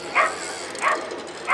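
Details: Whippet barking at a Turku Cup race, heat 29, second timed run over 280 m: three sharp, bright barks spaced roughly 0.6 seconds apart over a steady background hum.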